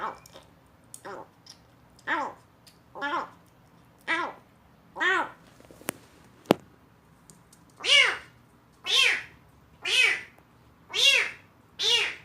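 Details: Young rescued kitten, abandoned in a box, vocalizing oddly during its first meal of weaning food as though relishing it; a steady run of about twelve meows near one per second, growing louder toward the end, with two sharp clicks midway.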